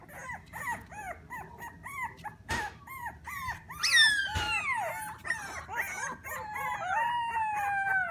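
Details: Jingle, a 3-week-old Alaskan Klee Kai puppy, gives a quick run of short, arched whimpers, then long high whines that slide downward and waver, with a brief sharp knock partway through.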